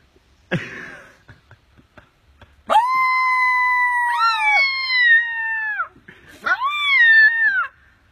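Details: Rescued baby coyote pup after being saved by a teenager: a brief noisy cry, then two long tonal, howl-like wails, the first near three seconds with slight pitch wavers and a falling end, the second shorter and arching downward.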